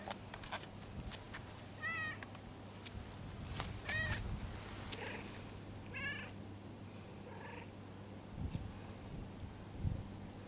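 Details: Stray cat, patted on its lower back, letting out several small quiet mews, some broken and wavering, amid scattered clicks and a steady low hum.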